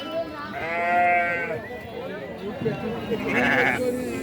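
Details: Sheep at a Saturday sheep and goat market in Chillakallu village, Jaggayyapeta mandal, NTR district: two wavering, harmonic bleats, one long and one short, with people talking and background crowd noise.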